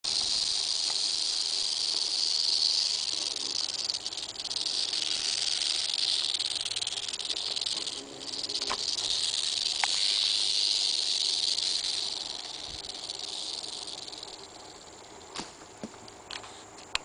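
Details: Eastern diamondback rattlesnake rattling: a steady, dry, buzzy hiss held for most of the recording. It dips briefly near the middle, fades after about twelve seconds, and a few sharp clicks follow at the end.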